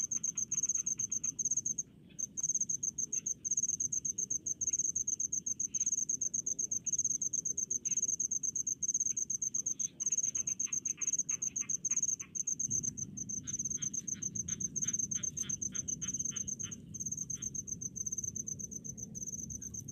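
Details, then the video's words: Cricket chorus from rice paddies: an almost unbroken stream of piercing high chirps pulsing rapidly, with one brief pause early on, scattered lower clicking insects, and a low background rumble that swells midway. "SUARA JANGKRIK DI PESAWAHAN"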